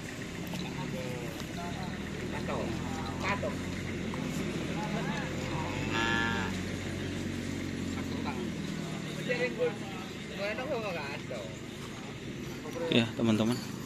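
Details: Cattle at a karapan sapi bull-race training session at the Asemanis field in Pamekasan, where a champion bull from Sapudi Island is present. A low, drawn-out moo hums through the first seconds under busy crowd chatter, shouts and passing engines.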